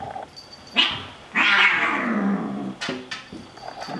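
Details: Bengal kittens Xena and Gabbi play-fighting indoors: a loud, harsh descending yowl lasting over a second, preceded by a short sharp cry and followed by brief scuffling noises.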